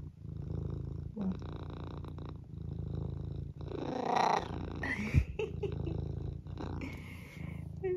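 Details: Eric, a senior tabby cat from the UK, turns on the charm while asking for food: steady low purring throughout, broken near the middle by one drawn-out, bending meow, with a few soft clicks and rustles.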